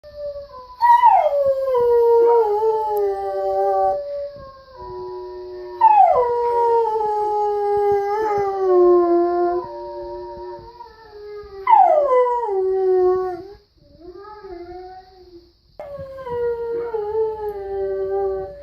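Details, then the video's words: Domestic dog eager to go for a walk, giving long drawn-out howls that start high, slide down and level off. Four howls, each followed by a short quiet gap, with a faint steady high hiss in the background. "PERROS QUE LADRAN SONIDO DE PERROS - SOUND OF DOGS - SON DE CHIENS"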